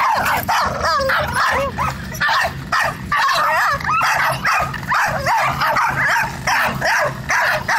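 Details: Several dogs bark at a black cat at once, high-pitched yelps and whining barks overlapping in a frantic, nearly continuous chorus rising and falling in pitch with brief pauses.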